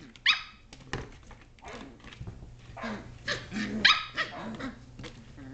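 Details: Indoor play among 7.5-week-old Shetland Sheepdog puppies, 2010: a shrill bark opens, followed by muffled scuffling, low growly grumbles and another high yap midway through.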